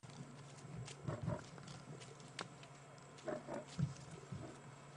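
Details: On a Maasai Mara afternoon drive on 29 August 2016, a lioness, one of the mothers, growls in short, deep, rumbling bursts over engine hum after chasing off and vanquishing a male lion.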